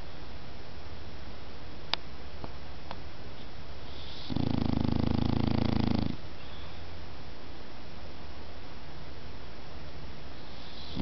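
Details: A sleeping dog gives one loud, low, vibrating snore lasting nearly two seconds, preceded by a couple of sharp small clicks and followed by quiet.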